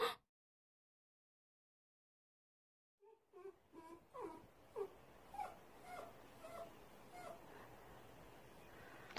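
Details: Female Bichon Frise, timid, indoors while her owner is away on a walk; after a long silence, a run of soft, short whimpers and yips repeated roughly every half second, fading out, with a loud knock at the end.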